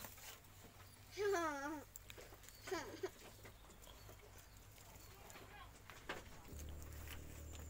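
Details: Goat belonging to a grandmother in an Indonesian village, being fed: two short wavering bleats with a quavering, vibrato pitch, followed by quiet background, talking and some clapping.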